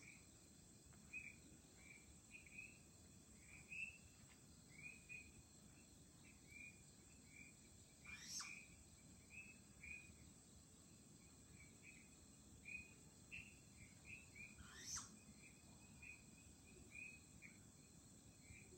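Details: Flying squirrel at Chunghsing New Village, Nantou, Taiwan, on 1 April 2018 gives two sharp, shrill calls over a steady night chorus of insects.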